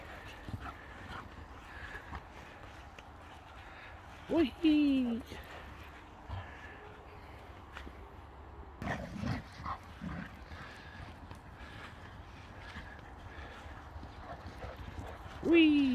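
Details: Boxer dogs, several males, playing and running around in a garden on an evening in Sweden after a hot day; two short, falling, whining yelps about eleven seconds apart, with a man talking and rustling movement between them.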